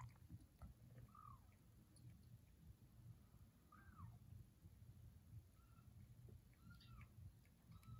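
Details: Foster kittens exploring a new house, giving soft, thin meows that rise then fall, about five in eight seconds, over a low indoor hum.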